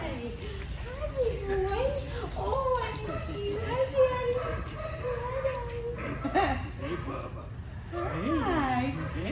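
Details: Greater Swiss Mountain Dog Hopper greeting his owner at their reunion with a run of wavering, yodel-like whines and moans that rise and fall repeatedly. A woman's delighted exclamations overlap, and a sharper whine sweeps down near the end.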